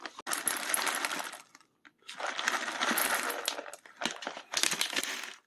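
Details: Three bursts of bright clattering and rattling, like objects or food being shaken, separated by short silences; no animal voice is heard.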